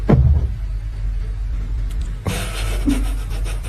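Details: Deep rumbling like a passing vehicle, with a brief burst of music and a sharp change in texture halfway through; no animal voice can be picked out.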